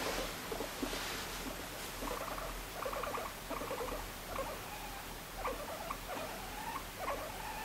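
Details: A pet guinea pig being stroked as it drifts off to sleep makes soft, chuttering little calls in short clustered bursts, repeated every second or so.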